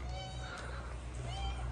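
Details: Tuxedo cat in Morocco, angry when picked up, giving one drawn-out harmonic meow that lasts the whole moment, steady in pitch, over a low background hum with a human voice nearby.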